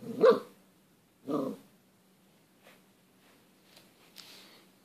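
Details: Male English Cream Golden Retriever puppy barking at his own reflection in a glass door: two loud, gruff barks about a second apart, followed by a few faint, quieter sounds and a steady low hum.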